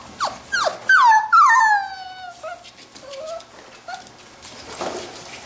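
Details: Labrador retriever puppies from a B litter playing together: quick yips, then drawn-out high whines sliding downward in pitch, trailing into softer short whimpers and faint rustling.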